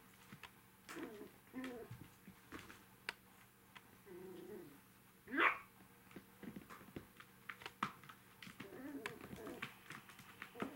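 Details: Five-week-old puppies, the three remaining pups of a litter, during a lively evening indoors: short soft whines come and go, then one loud rising yelp bursts out midway, amid scattered tapping and clicking in a small room.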